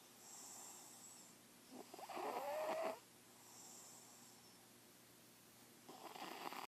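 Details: Sleeping kitty snoring softly indoors, with raspy breathy snores, a louder rattling inhale near the middle, and quieter airy exhales between, about three breaths over several seconds.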